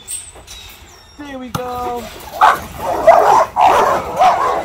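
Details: Seven-month-old Rottweiler puppies, excited for the ball as they are let out, give high squeaky whines and yips, then burst into a run of eager barks.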